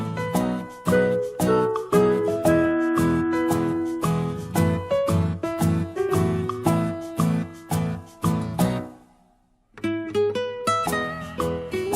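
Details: Bright plucked ukulele and guitar music with a steady strummed beat and melody, breaking off briefly near the ninth second before resuming; no animal sounds are heard.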